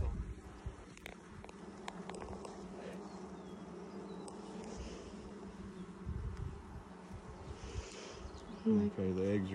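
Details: Buzzing of honey bees at a hive inspected six days after installing nucs, 2020, as the colony builds out comb: an even, droning hum throughout, with a man's voice cutting in near the end.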